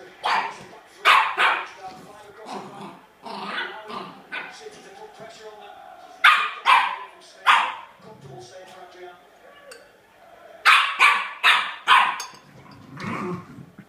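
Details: A Sealyham Terrier barks in bursts of two to four sharp yaps, separated by short pauses, with quieter whines and a few softer barks in between.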